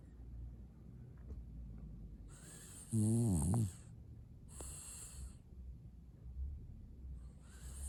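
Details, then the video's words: French bulldog snoring: one loud, low, groaning snore with wavering harmonics near the middle, set between hissy breathing bursts and quieter rumbling breaths. "Mushroom that makes sound〜french bulldog〜"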